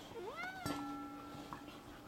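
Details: Zebulon, a 4-year-old male cat, is excited to get a lizard he is not allowed outside to chase. A short rising meow sounds while a person talks over it.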